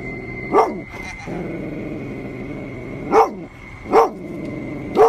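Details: Golden Retriever Dug, usually friendly with everyone, growls continuously at a stuffed tiger and punctuates it with single sharp barks, one early and three spaced near the end, a faint steady high tone underneath.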